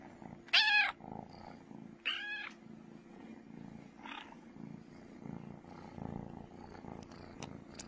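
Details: Loud purring from Brooklyn the cat, a continuous low rumble broken by two sharp rising-and-falling meow-like cries early on and a softer chirp a couple of seconds later.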